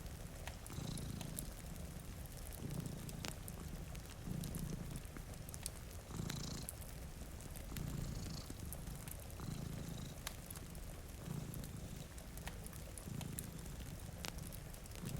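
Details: Two domestic cats sleeping before a rainy window beside a cozy fire purr steadily, a low rumbling drone swelling with each breath about every two seconds, with sharp crackles and pops from the fireplace and soft rain hiss.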